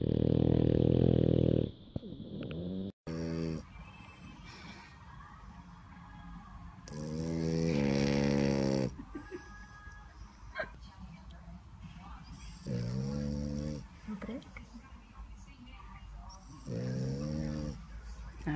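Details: Bulldogs sleeping at a dog home in Dubai, October 2015, recorded for a snoring contest: a series of rattling, wavering snores about one second long recurring every few seconds, with clicking noises and background hum between them.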